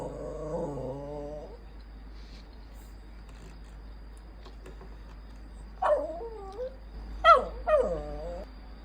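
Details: A poodle, formerly an abandoned dog, makes strange grumbling sounds while demanding attention and affection: a wavering, harmonic whine at the start, then after a quiet stretch three short, bending whimper-grumbles in quick succession, in a quiet indoor room.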